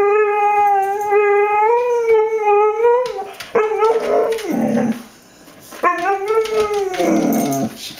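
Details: Female Mexican hairless dog named Mango singing for her supper indoors, eager for chicken: a steady drawn-out howl for three seconds, then yips and a second rising, wavering howl, with brief speech.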